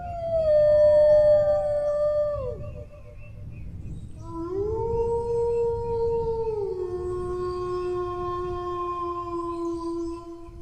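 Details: A dog's howl holds steady, then falls away at about two and a half seconds. A quieter pause follows, then a new howl rises sharply, levels off, and steps down to a lower sustained tone for several seconds. Low rumble in the background.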